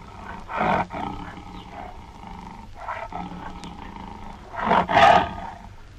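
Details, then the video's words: Tiger producing gruff, pulsing roars: a loud burst, a softer rumbling middle section, then a louder double-pulsed, throaty blast near the end. "Som de Tigre"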